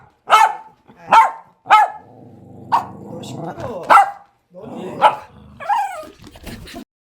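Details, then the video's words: Small pet dogs, a Bichon Frise and a silver poodle, barking in short sharp bursts about every second, some yelping high notes, with faint speech underneath. "# 1 Aboiement"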